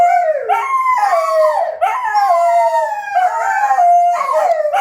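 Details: Midnight howling by wolfdogs Lupo and Kano, two voices overlapping in sustained harmonic howls that rise sharply, then slide down and hold steady, renewed roughly every second and a half.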